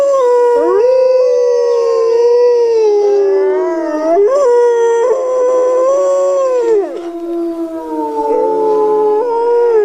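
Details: A chorus of wolves (Canis lupus) with multiple howls overlapping, voices sliding up and down in pitch, one dipping sharply and rising again, others holding steady tones beneath.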